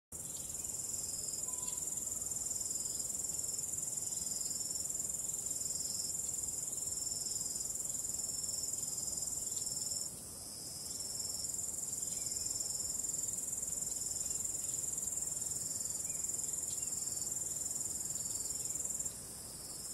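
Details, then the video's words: Crickets on a starry night, a calm wind mentioned: dense, unbroken high-pitched trilling fills the whole recording, with a steady shimmering pulse that briefly softens around ten seconds and again near the end. "ambient relaxing cricket sound"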